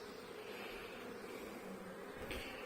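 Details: Honey bees droning around an open hive while the laying queen is inspected, seven weeks after the nucleus was installed; an unbroken, even buzz of a busy colony, with a faint knock near the end.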